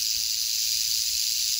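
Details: Brief burst of a female canebrake rattlesnake (Crotalus horridus) rattling on a dirt road in North America, late in the year: a dense, uniform high hiss with no pause.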